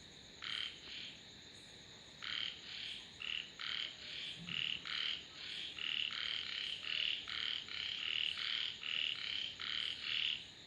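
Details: Frogs calling in a steady chorus of short raspy pulsed notes, bursts about half a second long repeated quickly and overlapping, with a faint constant high insect whine behind.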